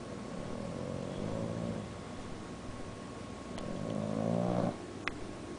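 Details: An awake bulldog snores with one eye open, giving two drawn-out, low rattling snores, each about a second long and separated by quieter breathing, then a sharp faint click near the end.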